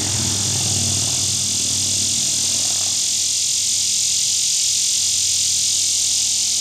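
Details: Singing male Neotibicen lyricen cicada in Winslow, Arkansas, August 2011, calling for a mate and flicking his wings. A continuous high hissing drone holds throughout, with low rumbling for the first three seconds, amid a background chorus of many cicadas.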